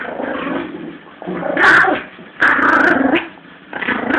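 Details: Playful growling from Lulu, a 17-week-old Yorkie puppy in a tug of war with her Jack Russell friend Eddie; loud, gravelly growls in three surging bursts, with rising strained peaks.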